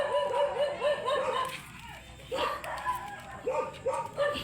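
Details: Beagle at a stud service in San Carlos City, Pangasinan: quick runs of short arched yips, about four a second, broken by a brief pause before another burst, over faint human chatter.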